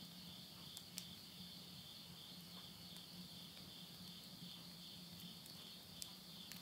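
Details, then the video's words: Insects singing at midnight at the close of summer in rural Yurihama, Tottori, Japan, September 2020: a continuous thin high trill over a low steady hum, with a few soft pops from a wood-burning stove. "mid night the voice of insects"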